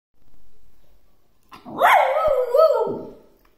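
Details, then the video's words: A Samoyed puppy gives its first howl, a short, wavering howl that swoops up, holds, then dips and trails off. "Samoyed Puppy's First Howl"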